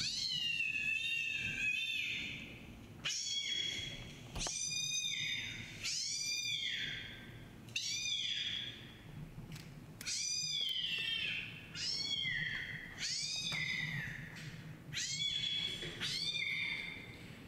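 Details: Recorded kitten meowing from a laptop, investigated by Siamese-tabby kitten Chai: a long run of about ten high, arched meows, each rising briefly and sliding down, repeated every second or two, with faint clicks between.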